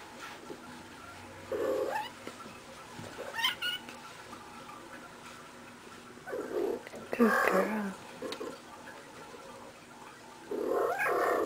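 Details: Playful female house cat rolling around like crazy, uttering soft rolling trills and chirps in separate bursts every few seconds, with a brief clatter in the middle.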